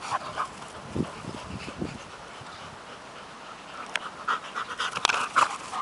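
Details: Two pet dogs, Working Mastiff pup Nobi aged 10 months and bull terrier Tasha aged 8 years, chase each other fighting over a stick; quick breathy panting with scattered short bursts and scuffling noises, louder clicks near the end.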